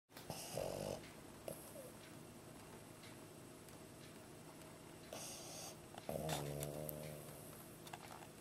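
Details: Pet pug asleep indoors with its tongue out, snoring softly: a few rasping, breathy snore bursts about a second long, one followed by a short rattling whine, over quiet room hum.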